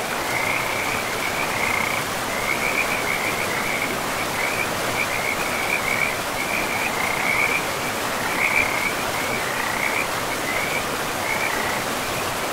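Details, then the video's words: Forest frogs by a river among moss-covered trees: rapid bursts of scratchy croaks come in clusters every second or so, some louder and nearer, all set against constant rushing water. "River and Frogs sleep sounds"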